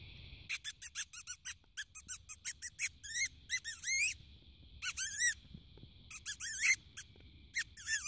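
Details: A fox, heard at night while spotlighting near a wallaby, gives a rapid run of sharp, high yelping barks, then longer rising wails.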